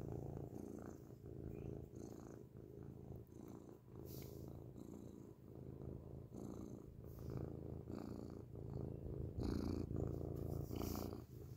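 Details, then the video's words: Loud, close purring from a grey domestic cat: a dense low vibrating hum pulsing with its breathing, with scattered soft rustles and brushing sounds over it. "beautiful grey cat purrs loudly up close"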